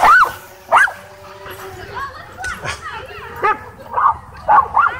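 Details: Several dogs in a wild frenzy at a dog park, chasing a DJI Mavic 2 drone: sharp, rising yelping barks in short separate bursts, a pair at the start and a quick run near the end, with some human voices.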